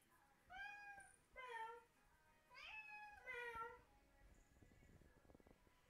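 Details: Indoor cat answering people's fake meowing with odd, strained meows: four drawn-out, wavering harmonic mews about a second long in two pairs, then soft tapping and rustling.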